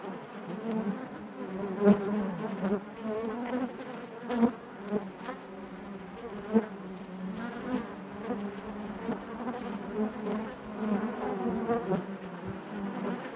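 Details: Honey bees droning together in their hive: a steady, low, harmonic hum with frequent brief louder bursts and soft ticks scattered throughout, never pausing.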